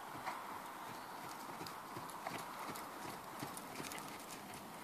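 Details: Hooves of Ferozza, a horse born in 2009, clip-clopping in an uneven sequence of sharp knocks across about five seconds, with a steady broadband hiss underneath.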